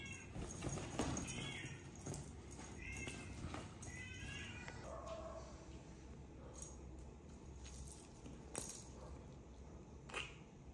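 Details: A rescued tomcat that has grown lazy, just eating and sleeping instead of playing, utters a run of short, high meows in the first five seconds, then falls quieter amid background hum and occasional knocks.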